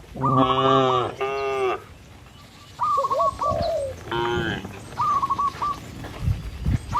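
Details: Cattle in a herd driven by a herder along a village road among trees and rice fields: three short, deep, rich moos in the first half, with whistled, trilling bird calls in between and after.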